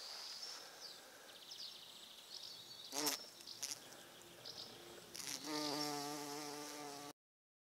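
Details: Bumblebee at purple flowers, a steady low droning buzz with rich overtones rising over the last two seconds after a few sharp knocks, while small birds chirp and twitter faintly in the background.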